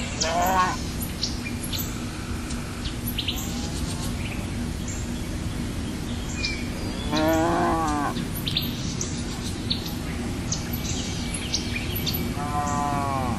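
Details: Cow giving three separate moos, a short one at the start, a louder wavering one midway and a final drawn-out call, with long pauses between them. Chirping birds and a low background hum fill the gaps.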